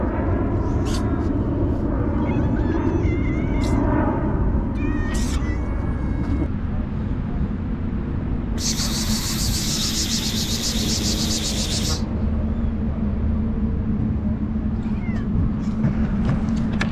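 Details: Hungry stray street cats in Istanbul crowd around a man who feeds them, giving repeated wavering, rising meows over a steady low rumble of street noise, with a loud hissing burst midway.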